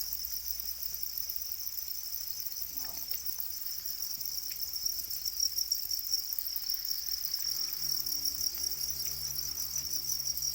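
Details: Domesticated black crickets, also called Para crickets, kept in numbers: a dense, steady, high shrill trilling chorus runs unbroken throughout, with faint human voices and soft clicks in the background.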